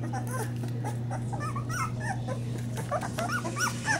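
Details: Springer Spaniel puppies from a first litter, described as hungry, whimpering and squeaking while feeding; many short high, rising and falling squeals overlap in rapid succession over a steady low hum.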